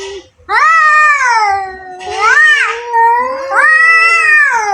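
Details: Fighting pair of domestic cats giving continuous overlapping wails, a rising-falling howl blending into a hissing yowl and then another long moaning cry.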